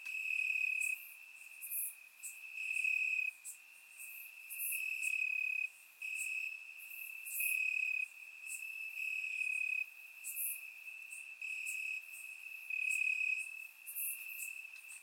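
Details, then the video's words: Warm summer night in Bulgaria, crickets chirping in the grass, surround-microphone recording: a continuous shrill trill underlies regular loud chirping bouts that switch on and off about every one to two seconds. "Cricket Sounds - Crickets Chirping at Night"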